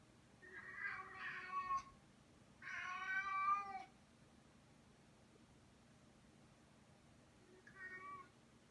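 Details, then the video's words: Female house cat holding her favorite toy in her mouth, making a strange noise believed to mimic how her mother hunted and captured prey. Two long, harmonic, wavering yowls of about a second each, then a short quieter call after a pause. "Cat making a strange noise with her favorite toy in her mouth"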